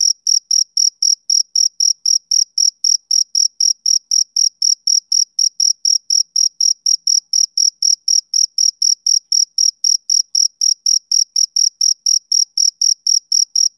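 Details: Continuous chirping from a male cricket: crisp, shrill pulses repeated at a steady pace of about four per second for the whole stretch. No wind, voices or other animals are audible.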